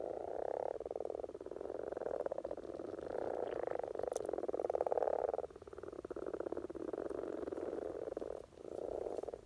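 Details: Common frogs in spring courtship in Norway: a dense chorus of low, pulsed, purring croaks, overlapping bursts lasting one to several seconds with brief gaps, a few faint clicks above.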